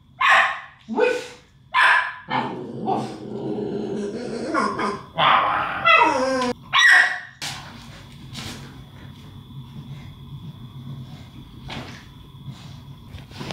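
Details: Two young English Staffordshire Bull Terriers at play, tugging toys and chasing each other; short sharp barks and growly yips come in bursts over the first seven seconds, with a woman praising and calling in between, then quieter rustling.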